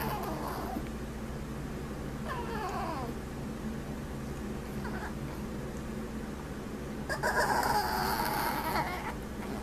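A Chihuahua gives short, wavering whines and grumbling moans in bursts, over a steady low hum.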